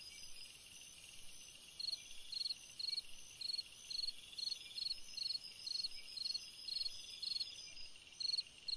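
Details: Summer-night cricket song for rest and sleep: bright high chirps evenly repeated about twice a second throughout, layered over continuous shrill buzzing of other insects.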